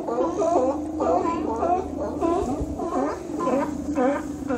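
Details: Sea lions visiting Cowichan Bay on Vancouver Island in autumn, following the migrating salmon. Several animals give overlapping harmonic, gargling calls that rise and fall, about two a second, with a low steady hum beneath.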